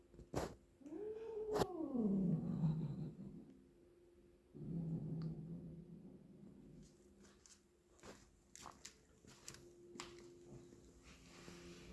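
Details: Indoor twin cat calling during play with a toy mouse: a rising then sharply falling yowl, then a lower rough, grumbling murmur, with scattered taps and clicks from the toy and floor.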